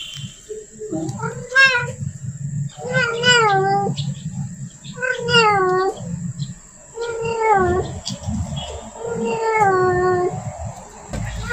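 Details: A female domestic cat in heat calls for a male with five long, wailing, moaning yowls, roughly one every two seconds. A low rumbling background and a faint steady high tone are also present.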